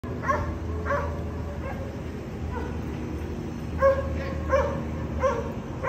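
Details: Dogs barking at a condominium, a noise that disturbs the neighbours three times every day: short sharp barks in scattered pairs and singles, some seconds apart, over a steady low background hum.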